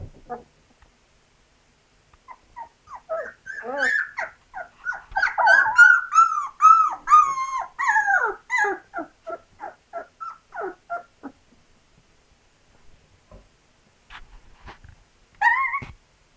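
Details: Indoor recording of two-week-old Labrador Retriever puppies during their first tries at walking; rapid, rising-and-falling whines and squeals run together for about eight seconds, then thin out to a few scattered cries and a final loud yelp.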